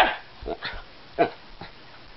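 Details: Casper, a one-year-old Alaskan Klee Kai, wants Lily the cat to play. A run of short, uneven yips and barks, the loudest near the middle, over a faint room hush.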